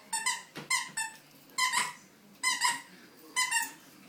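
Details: Coco, a puppy, playing indoors in a small room, gives high squeaky yips in short bursts, two or three squeals at a time, repeating roughly every second with quiet pauses between.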